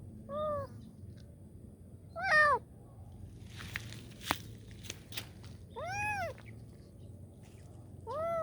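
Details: Kitten calling for help: short arched meows, about five spread over the stretch, with soft clicks and taps between them and a low background hum.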